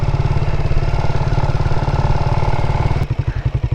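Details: A motorcycle engine runs steadily with a deep, pulsing rumble and some mechanical clatter. Near the end the throb slows into separate beats, and no animal voice comes through.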